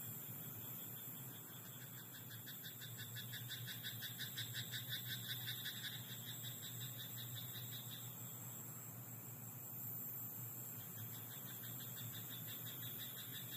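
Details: Night chorus from a rice paddy: a frog gives a long series of quick rattling croak pulses for roughly six seconds, fading and then briefly resuming, over a constant low hum and faint high hiss.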